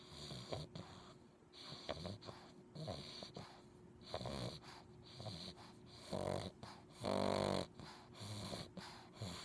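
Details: A sleeping male English Bulldog puppy snores in uneven, wheezy breaths, with louder rasping snorts now and then, while wiggling his toes.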